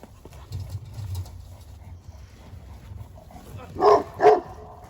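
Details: Anatolian Shepherd Dog, Ejder, provoking another dog, Ulaş: after a quiet stretch of low background rumble, two loud, sharp barks ring out close together near the end.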